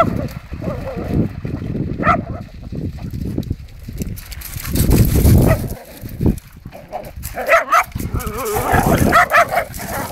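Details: Hungarian Vizslas playing wildly together, several dogs heard giving scattered barks and yips amid rough scuffling and low thumping noise, with short sharp calls bunching near the end.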